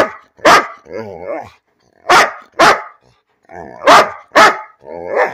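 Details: Barking for no reason, pet dog Bean mixes abrupt loud barks, some in close pairs, with low, quavering, talkative grumbles between them, and brief pauses of silence.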